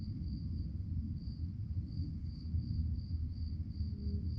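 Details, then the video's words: Crickets chirping at night: a thin, high, steady trill pulsing in quick regular beats throughout, sitting above a constant low rumbling background hum. "relaxing sounds of crickets"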